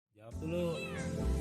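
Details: Neighbourhood cat, one of two that often visit a house begging for food, answers as food is offered with a short drawn-out harmonic meow that sounds like 'mau' (want), with background music and a person's voice.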